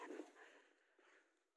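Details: An eight-month-old German Shepherd gives a single short, deep bark that fades quickly.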